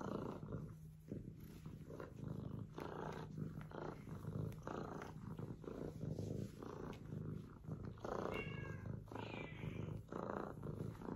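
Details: Yellow Fellow, an F2 Savannah kitten labelled tongue-in-cheek as vicious, rumbles with a continuous low throbbing purr-growl in uneven pulses, and a brief higher tonal sound rises near the end.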